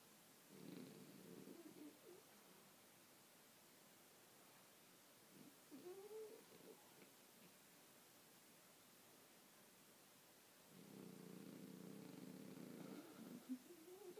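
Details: Kobe, a small Bichon Frise, snoring while asleep: two long raspy, pulsed snore bursts near the start and end, with quieter soft sounds between them in a quiet room.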